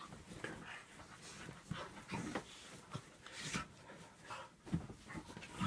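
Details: Two dogs, a Staffordshire Bull Terrier cross and a whippet, play fighting, heard as rough breathy pants and short scuffling noises in irregular bursts, with a sharper huff around three and a half seconds.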